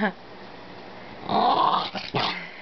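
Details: Pet Maltese dog indoors giving a brief low growling whine held for about half a second, with faint background murmur and a short sharp sound near the end.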